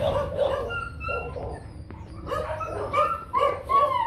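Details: Barks from Nano, a young male Rottweiler stud, come in quick clusters of short harmonic yaps with brief thin tonal whines between them, against a low background hum.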